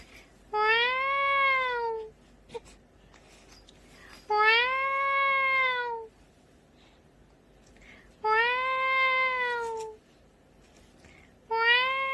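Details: Cat, described as sounding scary, meowing repeatedly, with four long arched meows roughly every four seconds, each rising then sagging in pitch, and faint clicks between calls.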